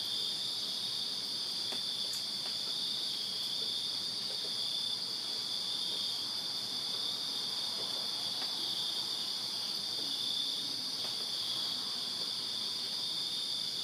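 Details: On a summer night in Virginia, crickets in a backyard produce a steady, piercing, high trill without break, many insects blending into one drone, occasional faint clicks.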